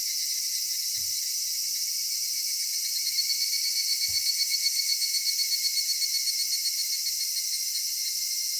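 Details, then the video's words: Cicadas singing on a summer evening in a cedar forest: a dense, steady high-pitched buzzing chorus that swells into a rapid pulsing throb midway, with two faint low thumps. "夏夕暮れ杉林 セミの鳴き声"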